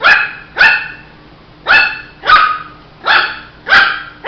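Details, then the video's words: Rapid yappy barks from a Shih Tzu puppy, six in about four seconds, each a bright, harmonic-rich burst that drops away quickly, with a faint electrical hum underneath. "Som de latidos de filhote de Shih tzu"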